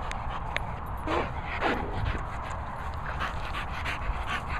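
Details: Staffordshire Bull Terrier called Milo giving short, high, wavering whines in quick succession around the middle, mixed with soft panting breaths over a steady rumbling background noise.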